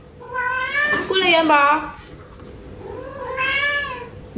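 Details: Domestic cat indoors early in the morning, asking for more food just after a meal and answering back when scolded: a long wavering wail with rich harmonics, then a softer rising-falling meow, a person's voice faintly mixed in.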